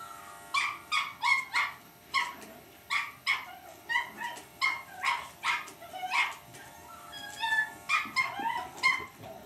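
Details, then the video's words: A Cavalier King Charles Spaniel puppy called Lucy barks at an electric shaver: shrill, repeated yaps at roughly two or three per second, a few with wavering whiny tails, against a steady background hum. "lucy cavalier king charles spaniel puppy vs electric shaver"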